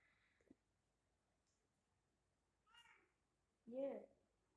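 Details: Pet cats gathered indoors on a hot summer night; a faint short meow around the third second, then a louder, fuller harmonic meow near the end, with a soft click early on in an otherwise quiet room.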